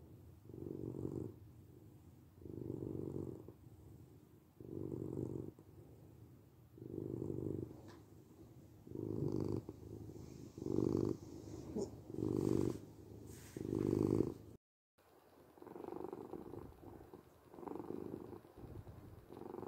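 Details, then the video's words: Steady purr of a domestic cat meant for relaxation and sleep: rhythmic low rumbling swells about every one and a half seconds, growing slightly louder midway, then a brief total silence before the purring resumes softer. "8 minutes of Cat Purring"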